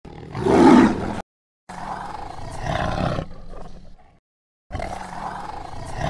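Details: Tiger roaring in dense jungle, its natural habitat: a short, loud, gravelly roar, then two longer, lower, drawn-out roars broken by sudden silences.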